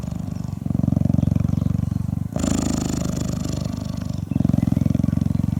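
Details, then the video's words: Affectionate African cheetah, hand-raised and living at a rescue center, grooming a volunteer's head and neck in 2015: a deep, continuous throbbing purr of fast low pulses, pausing briefly twice as the breath changes. "African Cheetah Shows Love | Big Cat Purrs & Grooms Volunteer Neck & Head Scalp"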